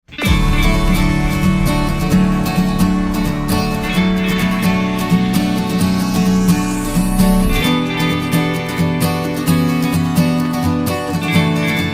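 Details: Acoustic guitar and band music play loudly with a steady strummed rhythm and a rising sweep midway; no animal sound is heard.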